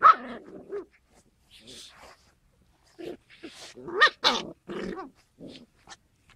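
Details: Young Skye Terrier puppies giving a scattered run of short, high, harmonic yips and squeaky barks with brief gaps between bursts, the loudest pair coming close together midway.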